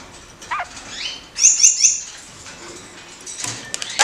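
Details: A caged pair of kakariki leaping and doing acrobatics; a quick sliding whistle, then three bright chirps in fast succession, with wing flutter and rattling noises afterwards.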